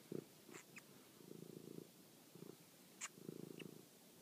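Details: Toby the pet cat purring at night during a hunt for a mouse, phone recording; short rumbling purr phrases with a few brief clicks and taps between them.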